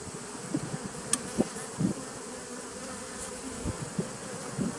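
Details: Bees at a nucleus colony started in 2017, recorded 27 September 2018: intermittent low buzzing bursts as individual bees pass close by, rising and fading over about half a second each, over a steady faint hum.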